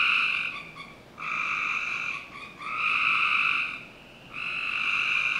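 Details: Frogs calling on a summer night in a Northern Virginia backyard: long steady trilling bursts, each lasting about a second or more, with brief quiet gaps between them, several overlapping in a continuous chorus.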